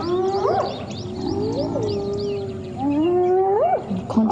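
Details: On the morning of 11 January 2016, spotted hyenas give tonal, rising whoop-like contact calls that swoop upward and break off sharply while the clan, including subadults, attacks one targeted individual.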